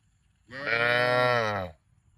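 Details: Cow giving one loud, full moo lasting just over a second, rich in harmonics and steady in pitch, in otherwise quiet surroundings.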